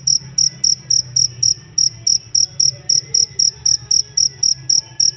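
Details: Chirping cricket used as master tutor audio for songbirds, giving a clean run of shrill, evenly spaced pulses, roughly four each second, with a quiet low rumble underneath.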